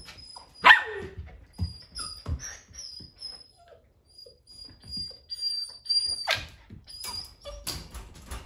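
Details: Poodle puppies, a litter of boys including one named Eric, playing together; short sharp yips and barks burst out irregularly between quiet gaps, with faint high squeaky whines in the background.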